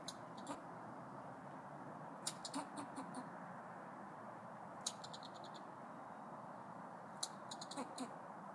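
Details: Squirrels by the front doors of Wilsonville Library, Oregon, chattering in a territorial way: short bursts of rapid sharp ticking pulses in groups of four to six, roughly every two to three seconds, over a steady low background hum.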